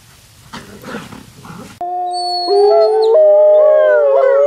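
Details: Wolves at an animal preserve on a snowy day, playing and howling: after a noisy start, long steady tonal howls overlap, pitches stepping up and holding.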